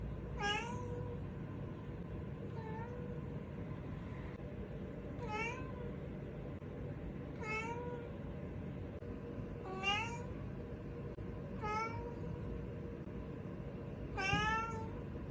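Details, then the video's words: A pet cat searching for something meows again and again, each call a brief bright cry that dips then lifts, spaced roughly two seconds apart, with constant low rumbling noise behind. "the sound of a cat looking for something | suara kucing mencari sesuatu"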